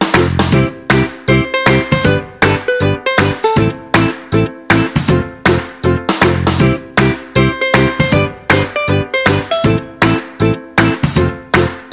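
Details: Upbeat plucked-string music with a steady rhythmic beat fills the clip, with no animal sounds.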